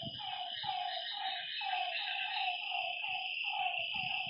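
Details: Night-time frog calls beside a lake, a run of short descending croaks about twice a second, layered on a steady high-pitched buzzing background with faint low rustles.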